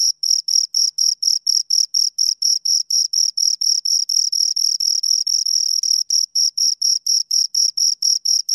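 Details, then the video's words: High, rhythmic chirping from two crickets, short scraping pulses about twice a second, a few briefly merging into a longer buzz near the middle, with silence behind. "Two Crickets Chirp Sounds"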